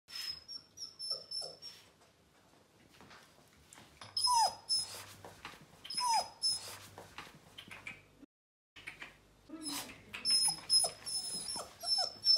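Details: Bernese Mountain Dog puppy on its first day in a new house, getting to know the home: thin high whimpers that slide downward, scattered among soft scratchy noises, with a brief silent gap and a steady low hum underneath.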